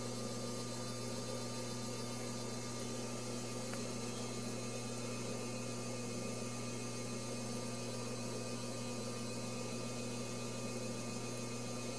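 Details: Steady electrical mains hum with broadband hiss runs throughout, and no animal sound is heard.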